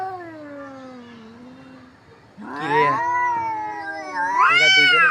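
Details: Two cats fighting: a low, drawn-out moaning yowl for about two seconds, then louder, harmonic wailing caterwauls that waver and swell, with a rising, intense yowl near the end.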